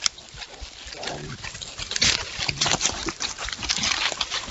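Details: Wild boar exploring at night grunt and snuffle in short, rough bursts amid rustling.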